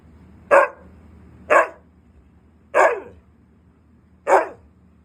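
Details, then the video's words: Siberian husky, said to be angry when denied treats, barks four times, each bark short and sharp, spaced roughly one to one and a half seconds apart in a quiet room. "batang galit kapag hind binigyan ng treats"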